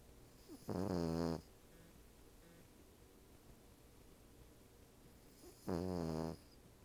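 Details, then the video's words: Cavalier King Charles Spaniel, female, snoring while asleep on the back of a couch, a Siamese cat napping beside her; two loud, raspy, harmonic-rich snores about five seconds apart over a quiet background. "Cavalier King Charles Spaniel, snores!"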